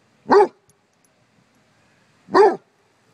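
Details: Two loud, deep barks about two seconds apart from Basset Hounds confronting a bumble bee, near silence between them.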